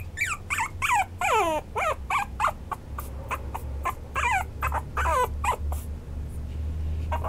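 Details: Maltipoo, a cross of Toy Poodle and Maltese, whining insistently: dense bursts of steeply falling, wavering whimpers one after another through the whole stretch, over a low background hum.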